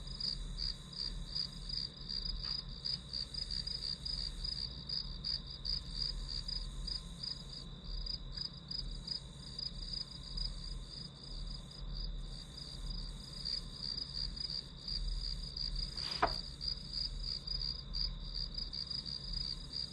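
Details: Study-session ambience of grass insects: a dense, fast train of high chirps over a steady insect hum for the whole stretch, with one sharp brief click partway through and a low rumble beneath.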